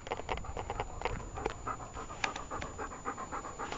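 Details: Dog panting while playing fetch with a ball, carrying it back to its owner: quick, steady breathy huffs repeating several times a second, fairly close and clear.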